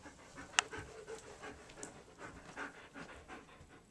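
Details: A German Shepherd named Sadie, working through obedience commands, breathes in soft, rapid, steady pants throughout, with one sharp click early on.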